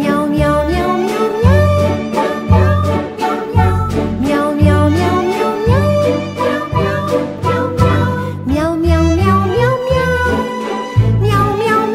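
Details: Cheerful sung melody over instruments and a light beat, with no animal voice present.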